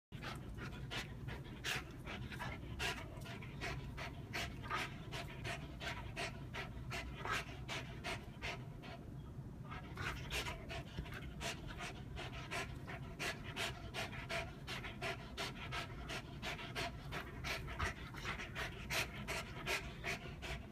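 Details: Old English Sheepdog, also called bobtail, panting: quick, breathy, rhythmic puffs repeating about two to three times a second, steady and even throughout, with a brief lull near the middle before the rapid breathing resumes.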